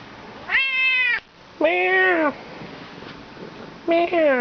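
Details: Talkative Bengal cat being petted, answering with three clear drawn-out meows, each with a rising start and level tone, while a man coaxes it and imitates its meow.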